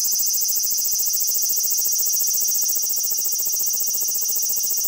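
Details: A large brown cicada sitting still gives its unbroken high, harsh, grating drone, strongly distorted by the compact digital camera. The shrill sizzle holds steady at one level throughout, with no pauses and no other sounds.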